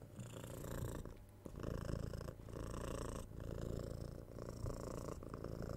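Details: Young kitten, six months old, purring contentedly during cuddles, soft kisses and head scratches, recorded binaurally with a 3Dio mic; a deep, continuous vibrating purr with brief pauses between breaths, alongside gentle fur-scratching sounds.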